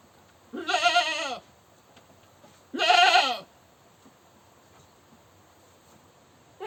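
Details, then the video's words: Two loud, rough, quavering goat screams about two seconds apart, each lasting under a second, with quiet between. "Goat Screaming"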